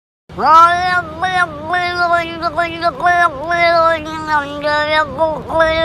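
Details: Cat giving a long, drawn-out meow lasting over five seconds, pitch wavering up and down with short dips, steady and loud throughout; faint music in the background.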